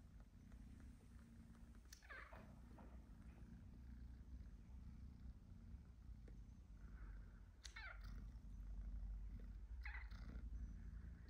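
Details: Three male house cats, two British Shorthairs and a black-and-white domestic shorthair, snuggling and sleeping together indoors: a steady low rumbling purr runs throughout, with a few brief soft rustles of movement over it.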